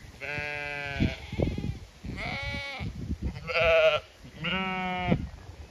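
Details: Zwartbles sheep in Ireland's County Kilkenny call for a move to fresh pasture. Four drawn-out, quavering bleats, about one second each, come from different animals, with shuffling hoof and chewing sounds between them.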